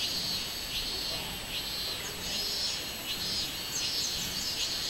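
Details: Recorded 24 July 2016, a robust cicada gives high, wavering buzzy pulses in an uneven rhythm, about one or two per second, over steady shrill insect hiss.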